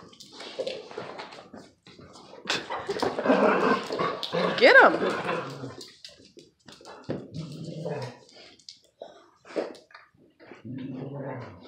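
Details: Old lurcher terrier mix being aggravated in play by a Presa dane mix and a kangal bloodhound mix pup; scattered yips and barks, a sharp rising whine midway, and people speaking throughout.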